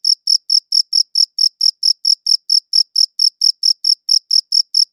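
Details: Steady chirping of a cricket: short, shrill, evenly spaced pulses about four per second, with a weak higher overtone, heard alone in silence.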